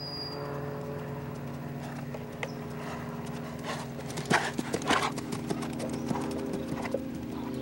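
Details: Lusitano stallion clip-clopping, hoof strikes growing louder and quicker near the middle, a crisp cluster of knocks over a steady low hum and a faint whistle at the start.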